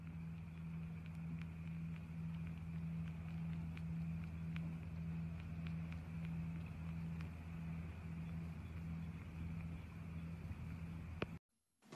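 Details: Steady low mechanical hum with a faint high tone runs for eleven seconds, then cuts to near silence before a sharp click at the end.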